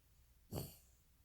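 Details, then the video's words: Pet dog named Kkomaengi snoring while asleep: one short, breathy snort, a broad rasping burst about a quarter second long, low and rumbling with a hissy top, set against quiet surroundings. "꼬맹이의 코골이"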